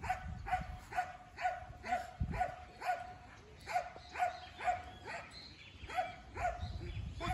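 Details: Belgian Malinois named Thor (Yulio Du Tulip Noir) during a field training day for obedience and control, barking in a steady series of sharp, evenly spaced barks roughly twice per second, with low rumbling background noise.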